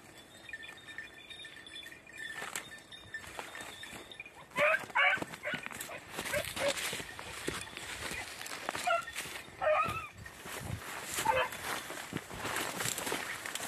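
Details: Beagles on hare hunting practice on Crete, Greece, in 2021, red-blue tick and lemon-white dogs: short, scattered yelping bays, several close together mid-clip, over a steady high-pitched background whine.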